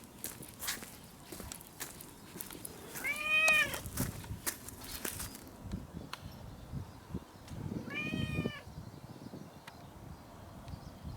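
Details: Hungry pet cat calling to be fed; two drawn-out harmonic meows about five seconds apart, each under a second, with soft indoor clatter and rustle between them.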